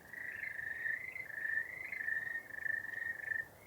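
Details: Frogs calling on a calm winter evening during snow camping, with snow flurries and barely any wind, a steady, high, pulsing trill rising and falling slightly in pitch.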